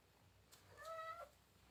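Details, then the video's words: A pet cat calls its owner to be given fish from the fridge, a single short meow that rises and then holds steady before clipping off, with quiet room hiss behind. "How cat is calling me to eat fish"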